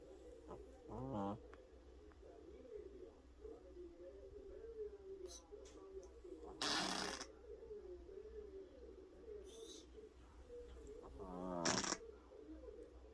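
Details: Sleeping pet cat snoring, said to snore louder than a person: three harsh, rattling snorts about every five seconds, each a short burst of rapid pulses, over a steady wavering low hum.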